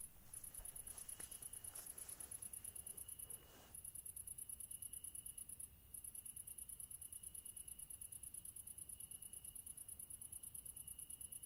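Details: Crickets in a chorus of high, rapid chirps pulsing steadily at about 200 per minute, with brief pauses near four and six seconds; a few soft rustling knocks early on and a faint steady tone underneath.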